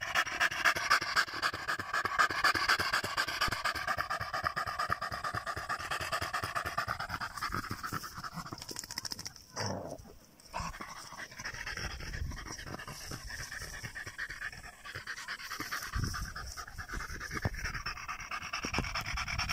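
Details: A German Jagdterrier pants hard in +45°C heat, a rapid, regular run of airy breaths at about four per second. The panting breaks off briefly midway, then resumes at the same pace.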